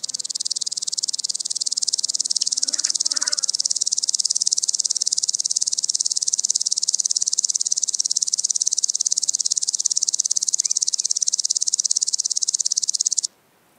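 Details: {'text': 'Common green grasshopper song recorded at Tschenn, Italy, 19 August 2019: a loud, sustained high-pitched ticking buzz of fast, even pulses lasting about thirteen seconds, then stopping abruptly, with faint low rustles early on.'}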